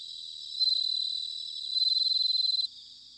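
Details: Bell cricket chirping on an autumn night in Sanuki, Chiba, Japan: a clear, high, rapidly pulsed ringing trill lasting about two seconds, louder in its second half, then stopping sharply with only a faint distant ringing left.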